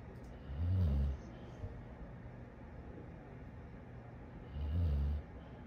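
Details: Dog snoring in a funny pet compilation: two deep, rumbling snores about four seconds apart, each lasting around half a second, low and throaty, with quiet room noise between breaths.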